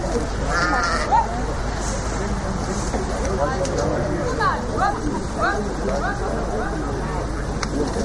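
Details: Domestic sheep bleating while being let out of their fold (Auspferchen); several wavering, harmonic bleats from different animals, most between four and six seconds, over steady background rumble and German conversation among the handlers.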